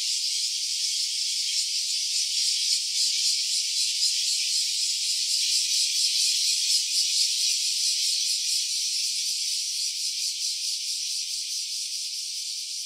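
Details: Stereo recording of a cicada giving a long, sustained high buzz with a quick rhythmic pulsation, fairly even before fading slightly toward the end; no other sounds.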